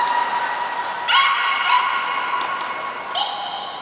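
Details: Captive belugas Niko and Mirai at Port of Nagoya Public Aquarium during a training session, February 2020: overlapping steady harmonic tones with short upward-sweeping chirps and clicky bursts.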